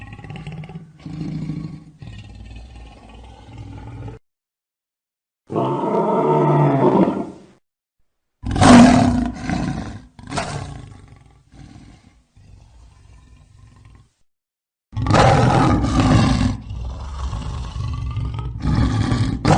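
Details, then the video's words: Lion calling in a series of separate deep, harmonic roars and growls, each a few seconds long, with abrupt silent gaps between bursts and a strong low rumble under them. "Gerçek Aslan Sesleri Yüksek Kalite | Lion Sounds in High Quality"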